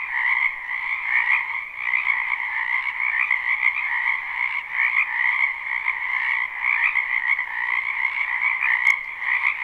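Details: Spring wetland frogs calling en masse behind a home, a live unlooped recording: continuous shrill, pulsing croaks merge into a thick, even wall of sound with two stacked tones and a slight swelling rhythm.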